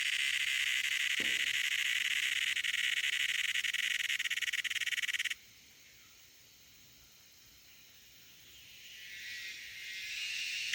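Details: Loud cicada calling, a dense, shrill buzzing drone that cuts off abruptly about halfway, followed by near silence, then a fainter buzz slowly swelling back in toward the end.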